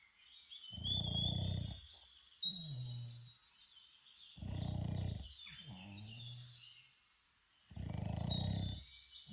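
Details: A Boston Terrier snores outdoors in deep, rattling bursts about every four seconds, with birds chirping behind.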